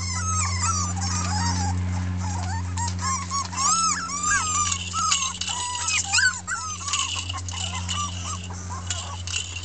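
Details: A 2013 litter of six red female Miniature Pinscher puppies complaining after a taste of freedom; many short arched yelps and whines from several pups crowd together over a steady low electrical hum.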